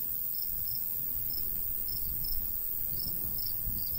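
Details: Crickets of a summer wheat field in the countryside, sparse high chirps arriving in pairs roughly every half second, set against a heavy low wind rumble from the light breeze.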